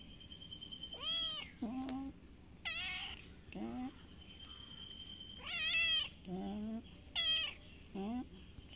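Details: Domestic cats, a brown cat and a white kitten, outdoors on green grass behind a house, squaring up to fight: a series of loud, drawn-out wavering meows and low growling yowls, alternating high and low, against a faint steady background hum.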